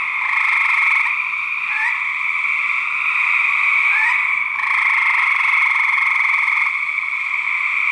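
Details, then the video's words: Gray treefrog males in a fight, studied for research: continuous overlapping pulsed trills, interrupted by several quick upward-sweeping notes and a short pause before the chorus resumes strongly. "Gray Treefrog Fights 2010!"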